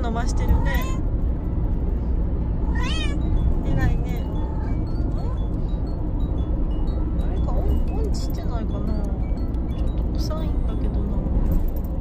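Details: Bengal cats, five in all, travelling in a car; a few wavering meows in the first four seconds, then quieter cries mixed with voices, under constant low road and engine noise.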